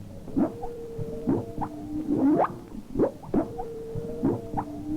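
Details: Humpback whale underwater in winter off Maui, Hawaii, making rhythmic, pulsing non-song sounds with rising sweeps, much like a puttering outboard motor.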